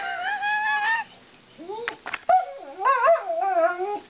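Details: Female Alaskan Malamute Lightning sings while her owners brush her, a thin steady whine, a short pause, then rising yelping slides and a wavering, warbling howl ending in a lower drawn-out moan.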